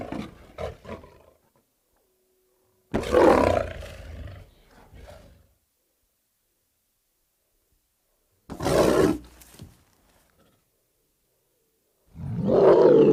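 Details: Lion giving a run of separate roars: short grunting bursts, then three powerful, rasping roars spaced by long silent gaps, each swelling quickly and trailing off.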